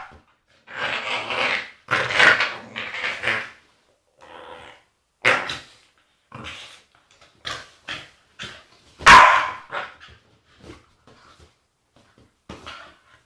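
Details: Female Staffordshire Bull Terrier, agitated, producing long drawn-out growling whines, then a string of short grunts and one sudden sharp bark, tailing off into quieter snorts and huffs.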